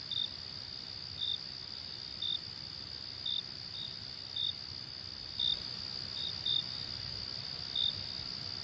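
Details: Cricket chorus as a constant high, ringing drone, punctuated by crisp short chirps repeating about once per second in a loose rhythm, with no other voices.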